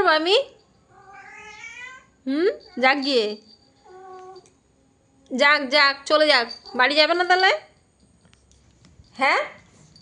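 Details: Cat giving loud drawn-out meows with strong overtones, bent and wavering, in several bursts separated by short pauses, with a softer, quieter call in between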